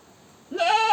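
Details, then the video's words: Domestic goat giving a single loud bleat that starts abruptly halfway through, a strained, harmonic-rich cry holding steady to the end after a quiet lead-in. "Goat Sounds & Goat video, The Sound A Goat Makes, Animal Sounds, Goat Screaming"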